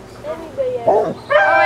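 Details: Young Alaskan Malamute pups, 26 days old, from Ciqala's litter, recorded 20 September 2009: a thin, drawn-out whine that swoops up and down, ending in a sharper harmonic yelp, over people talking.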